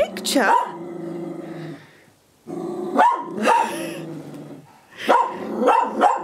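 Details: Cocker spaniel facing her look-alike reflection in a living room, giving clustered, slightly growly barks in three groups, with human speech and music audible behind.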